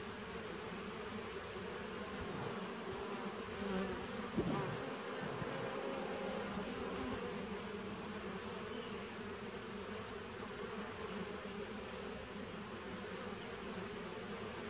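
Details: A 2017 nucleus colony of honey bees, 19 September 2018, hums steadily and densely throughout, broken only by a short knock or bump partway through before the even drone returns.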